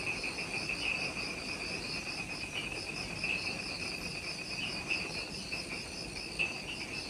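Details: Twilight insect chorus in Ishigaki Island's jungle, Okinawa, Japan, recorded just after sunset: layered high shrill pulsing trills, rapid even beats, with occasional brighter chirps standing out over a hissing forest background.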